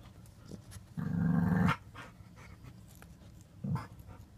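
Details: White French bulldog puppy, five months old, and a five-year-old blue nose pitbull indoors; one low, harmonic growl lasting under a second, then a short second growl near the end, with faint shuffling between.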